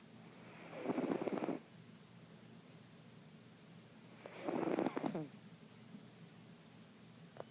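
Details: Jiggy, a sleeping house cat called Mr. Jigilo, gives long rattling snores of about a second each, separated by roughly three seconds of quieter breathing; a room hush sits underneath and nothing else is heard.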